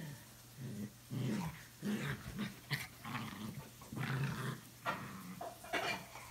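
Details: Two dogs at home, Samson the Boxer and Bella the Chorkie, having fun and acting crazy together; repeated low rumbling growls in bursts of about half a second to a second, with snorts and rustling over a constant low hum.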